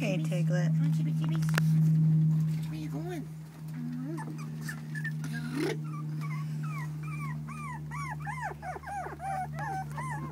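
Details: Four-week-old puppies whimpering in a string of short, rising-and-falling squeals that grow more frequent toward the end, after a woman's gentle talk at the start, with a constant low electrical hum.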